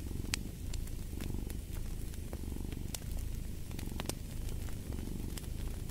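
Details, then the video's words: Soft, steady rumbling purr of a cat beside a crackling fireplace, with occasional louder pops of burning wood. "Fall asleep to the Purring of a Cat"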